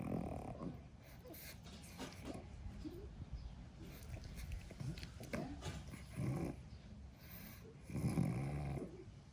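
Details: Sleeping pug napping after rough playtime, low rumbling snores and snorts in short bursts near the start and again around six and eight seconds, with quieter breathing between.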